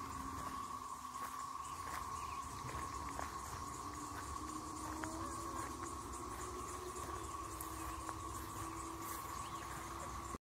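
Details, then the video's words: Emerging 13-year and 17-year brood periodical cicadas in North Carolina's Triangle area give a faint, unbroken droning hum, with soft background rumble and a low, distant tone beneath. "North Carolina Cicada 13-year + 17-year brood noise"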